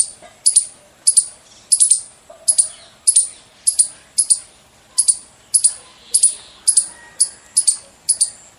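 A squirrel gives sharp, very high chirps, often in quick pairs, repeated steadily about twice a second.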